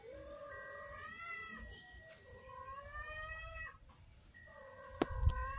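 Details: Hungry street kittens in Banyuwangi, Indonesia, angry at a late feeding, give a run of drawn-out, wavering meows, several overlapping and rising then falling, over a steady high electrical whine and a sharp knock near the end.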